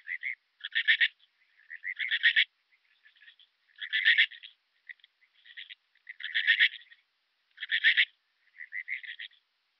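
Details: Alpine dark bush-cricket recorded at Berchtesgaden, Germany, on 6 September 2018; buzzy, rasping chirps in short clusters, repeated irregularly every one to two seconds, alternating louder and softer bursts, with nothing else heard.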